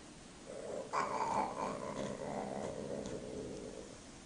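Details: Domestic cats mating: a drawn-out, strained yowl holding a steady mid-pitched tone for about three seconds, loudest and harshest near its start, then fading, over a quiet background.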